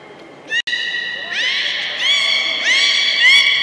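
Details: Young belugas at Port of Nagoya Public Aquarium, playing during a pool transfer, give repeated rising harmonic whistles, overlapping in quick succession, with a sharp click early on.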